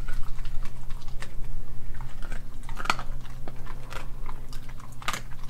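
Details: Raw-fed dog Nala, an Australian Kelpie German Shepherd mix, crunching and chewing raw meats and chicken feet; loud, quick, irregular bites and smacking chews, several sharp cracks, over a faint steady hum.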